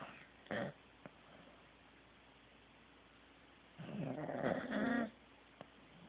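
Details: Corgi asleep and snoring; a brief snort early on, a few small clicks, then a longer rasping, rattling snore building louder for about a second.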